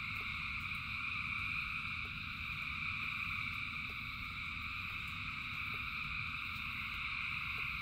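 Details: Frogs chorusing by the thousands in rain; an unbroken shrill trill holds steady across several pitch layers, with low rain noise beneath and sparse light ticking sounds.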